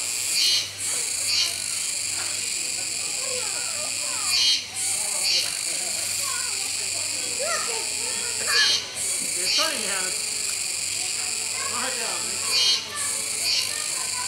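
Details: Kuroiwa's cicadas at Neopark Okinawa, 16 October 2021, fill the air with a loud, steady, high buzzing that dips briefly every few seconds, while a capybara feeds.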